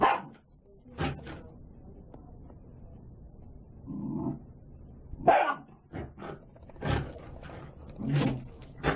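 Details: Banner, a six-month-old Scottish Terrier with a developing deep baritone voice, gives a few short gruff barks and vocal bursts scattered through the clip, with some rustling and handling noise between them.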